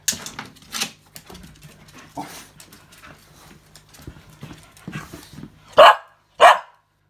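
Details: Male Australian Cattle Dog that knows what he wants: quiet rustling and faint scattered noises, then two loud, sharp barks about half a second apart near the end.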